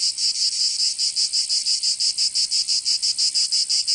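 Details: Summer cicada song from Provence in the south of France, a shrill high-pitched buzz broken into fast regular pulses, about three per second, continuous and unaccompanied.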